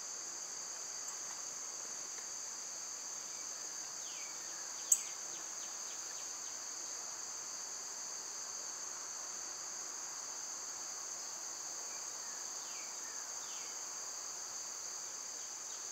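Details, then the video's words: Cicadas in summer, loud at this time of year, give a steady, unbroken high-pitched buzzing drone with two layered tones. There is a single sharp click near five seconds and a few faint, brief chirps in the background. "Birds & Squirrels w/ Cicada sounds"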